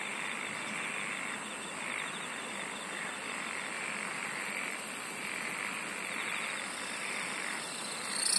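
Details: Night-time insect chorus: steady, shrill high-pitched trilling held throughout, layered over a dense, pulsing lower chorus that swells and fades every second or two, with a rapid ticking burst in the middle and a brief rise in noise at the end.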